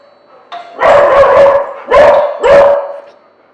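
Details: Pet dog's watchdog bark after the doorbell rings, running to the door to tell the owner someone has come and tell the visitor it is noticed; a brief doorbell-like tone, then three loud, harsh barks spaced roughly half a second apart.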